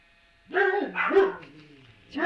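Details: Puppy voice, filmed on a Tuesday, March 17: a loud, wavering whine-yelp rising and falling over about a second, followed by a shorter second cry starting at the end.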